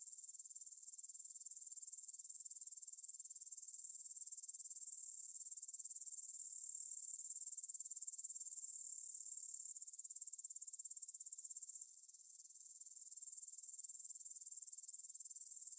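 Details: Evening chorus of grasshoppers in a field by the Svensky monastery, Bryansk, Russia, 9pm, September 6, 2020, Tascam DR-44WL stereo; dense high hissing trill pulsing rapidly and evenly, briefly softer midway before swelling back.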